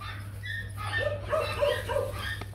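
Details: Young male Rottweiler breeding dog Nano, bred at the Gervi kennel, sire Bruno and dam Melsee Gervi; four short, tonal, mid-pitched whining yelps spaced about a third of a second apart over a steady low hum, with people talking.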